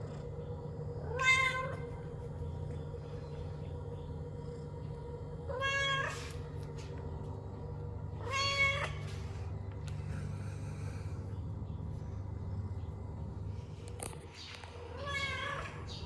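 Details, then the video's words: Domestic cat making a noise owners wonder about: short rising-then-falling meows repeated roughly every four to five seconds, four calls in all, with a constant low hum underneath. "What Do You Do When The Cat Makes This Noise"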